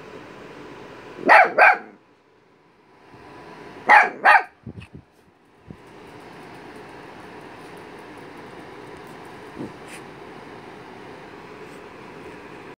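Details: Pet dog barking at a teddy bear, something it does all the time: two pairs of sharp, quick double barks about three seconds apart, then a few faint clicks and a steady background hiss.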